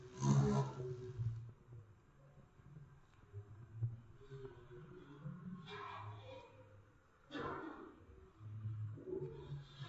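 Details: A bumblebee trapped indoors in a house window gives a deep, humming buzz that swells and drops off in irregular bursts, with sharp knocks and rustles like the insect bumping against the glass.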